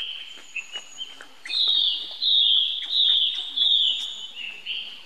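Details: Baby monkey crying out for help to its older sibling: loud, high, shrill squeals in long sustained wails, rising and falling, repeated about once a second, with faint background noise.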